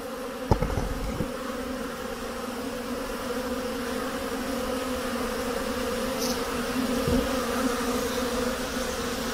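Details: Honey bees at their hives in a hive hut in spring as snow melts and the air reaches 50 degrees Fahrenheit: a steady, even buzzing drone with a lower hum beneath, broken by a few sharp knocks near the start.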